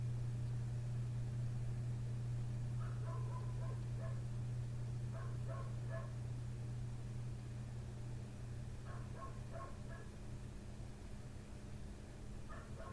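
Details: Neighbour's dog just outside a bedroom window, barking through the night since 1:30 am; distant yapping arrives in bunched volleys a few seconds apart while a constant low drone hums underneath.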